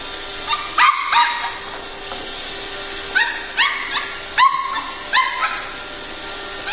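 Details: A Pembroke Welsh Corgi puppy fighting a robot vacuum gives high-pitched yips and short barks in clustered bursts of two or three, with brief pauses, over the robot's constant low mechanical hum. Pembroke Welsh Corgi.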